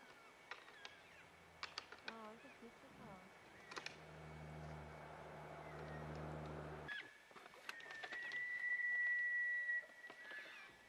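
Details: Bull elk in the rut, wrestling at close range: low harmonic grunting calls early on, a low steady rumble through the middle, then a long thin high whistle held for nearly two seconds, with sharp clacks scattered throughout.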